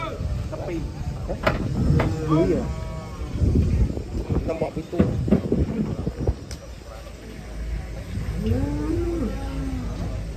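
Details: Cattle being unloaded from a swaying truck; a low, drawn-out moo rises and falls near the end, amid heavy clattering, thumps and human voices throughout.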